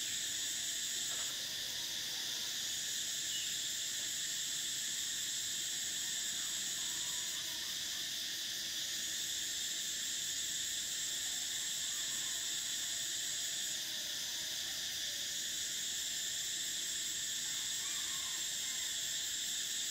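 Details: Summer chorus of cicadas: steady shrill droning in several high layers, the top band cutting out and returning at intervals, with occasional faint softer calls beneath.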